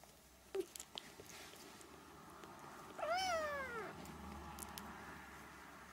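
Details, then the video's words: Three-week-old Siamese kittens: one high, arched mew lasting under a second, rich in stacked harmonics, rising then falling, with a faint squeak and soft scuffling earlier against a quiet room hum. "Siamese kittens (3 weeks)"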